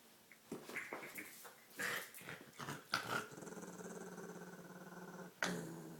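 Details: Olive, a female dog busy with her green toy, gives choppy snorts and grunts that settle into a steady, drawn-out growl lasting a couple of seconds, then a sudden loud snort.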